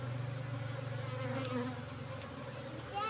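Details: Asian honey bees (Apis cerana) in a cultivation hive box, moved from the forest about three months earlier, during honey harvest; a steady low droning buzz with layered harmonics, briefly swelling near the end, with a man's voice nearby.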